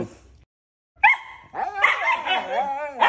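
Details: Two loud husky brothers vocalizing at each other as if arguing over whose turn it is to talk; after a brief silence, drawn-out wavering howl-like yowls with bending pitch run continuously, overlapping near the end.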